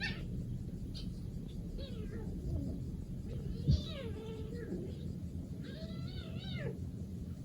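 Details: Cats on an early morning walk, a rescued three-month-old kitten with a fifteen-month-old cat that dotes on it; several drawn-out falling meows, about three bursts spaced over seven seconds, over steady low rumbling outdoor noise.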